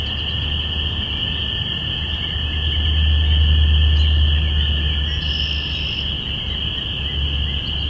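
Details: Spring peepers chorusing on April 5, 2017 at the start of spring, recorded binaurally. A steady shrill wall of peeps sits over a loud low droning rumble that swells mid-way, like a passing vehicle.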